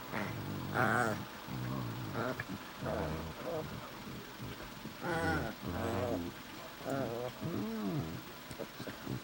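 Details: A pair of Shih Tzu mix dogs 'talk' to each other in a Chewbacca-style exchange: warbling, growly harmonic moans rising and falling, some longer drawn-out and arched, separated by short pauses.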